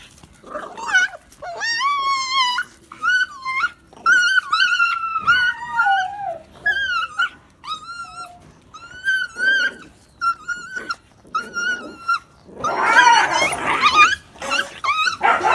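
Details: Phu Quoc Ridgeback puppies from one litter whimpering indoors: a run of high, wavering whines, some rising and falling, repeated with short gaps, ending in a burst of rustling scuffle noise.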